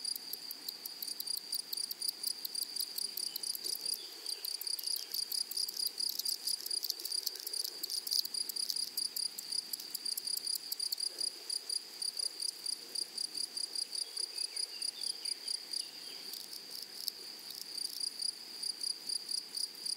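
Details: Meadow grasshoppers in flowery prairie give a continuous high-pitched shrill hum broken into fast stuttering pulses, the pulses growing sharper and more regular toward the end, with a soft low background hush.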